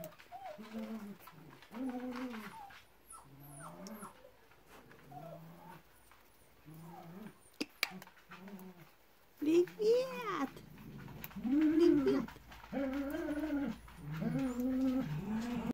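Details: Litter D2 of Pyrenean Mountain Dog puppies whimper and whine indoors, with repeated arched, wavering high whines, several at once, quieter at first then louder and denser after about nine seconds.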